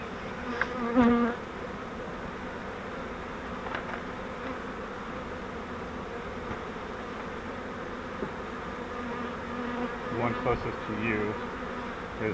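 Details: Captured honeybee swarm from a flowerpot bait-hive swarm trap during transfer to a Langstroth hive: a continuous low massed droning of many bees, with a few louder passing buzzes near the start and again near the end.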